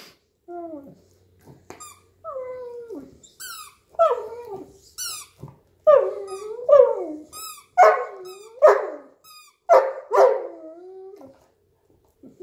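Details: Hugo, a Newfoundland dog lying on a couch indoors, plays with his squeaky toy. He makes drawn-out, sliding moans and whines, then louder, harsher bark-like bursts near the end. Sharp, high squeaks from the toy come between them.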